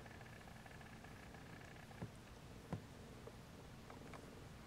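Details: Siamese kittens napping indoors with their mother Siamese cat, some unable to sleep and waking siblings; a soft, steady low purr runs throughout, with a few faint knocks and rustles over quiet room tone.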